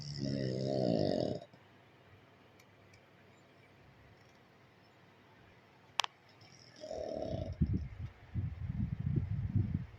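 A pug snores with low, rattling, throaty breaths, broken by a quiet pause and a sharp click.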